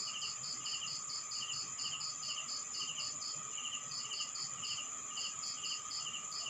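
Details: Night chorus of crickets in a rural Philippine town: bursts of fast, bright chirps that stop and restart every second or so, layered over constant high-pitched ringing and a low hum.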